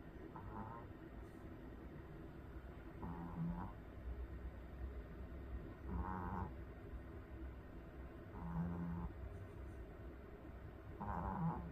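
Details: A sleeping Pomeranian dog in Korea snoring: soft raspy snores about every two and a half seconds, each a brief low buzzing breath with a hoarse upper edge, over a faint steady room hum.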